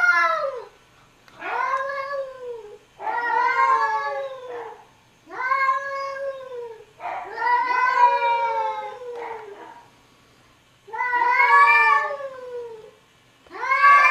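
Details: Arguing cats trade a steady run of wavering, drawn-out yowls, each lasting one to two seconds with short pauses between, rising and falling in pitch with rich harmonics, in a quiet indoor setting.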